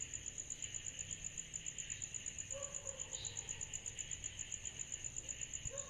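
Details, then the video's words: Cicadas on a summer night: a thin, high chirp pulses steadily almost three times a second over a softer hissing insect band, with a few brief lower tones and a faint low rumble underneath. "Summer Night Cicadas Sound Effect"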